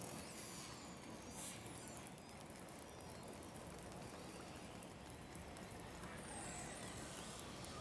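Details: A group of 30 to 40 orcas travelling under sea ice in darkness, in a four-channel recording. Rapid echolocation clicks mix with faint, sliding whistles as they communicate with each other.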